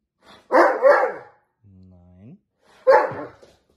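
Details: A Dobermann argues with a person who says they don't want to go out now and repeats "no": two rough, grumbling barks around a low, rising moan.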